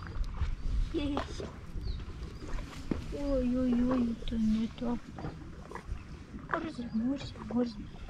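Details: At the Istanbul seaside, two rival male stray cats exchange a drawn-out, low, steady moaning yowl lasting over a second, followed by shorter wavering cries, against a noisy outdoor background.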